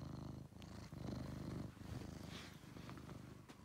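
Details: Close, loud purring from Angelus, a friendly rescued male pet cat, in deep rumbling bursts with a brief pause for breath, plus faint rustling.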